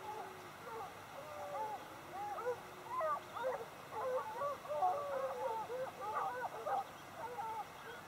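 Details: A pack of hounds in full cry while hunting bushpig, many voices baying at once with overlapping, wavering howls.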